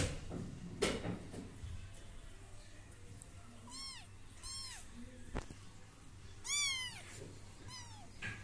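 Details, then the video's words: British Shorthair kittens mewing indoors: four thin, high, arched mews spread over eight seconds, with knocks and handling noises between them. "Cutest Baby British kittens"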